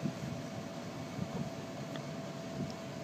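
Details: A steady low mechanical hum, like a fan or air conditioner, fills the room, with faint scattered clicks and no animal voice.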